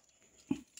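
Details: Rottweiler kept with a baby, giving one brief, low, gruff woof about halfway through, short and punchy with a quick fade, set against an otherwise quiet indoor background.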